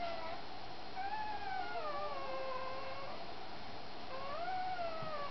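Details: During Cha Cha's feeding, a little puppy gives long, drawn-out whines that slide slowly downward. After a short break a second whine rises and then falls. There is low room hum underneath.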